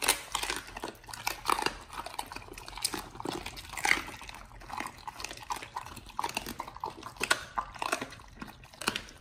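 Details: Dogs fed raw chicken breast and duck feet crunch loudly and continuously, sharp crackling bites and wet smacks following one another every fraction of a second throughout.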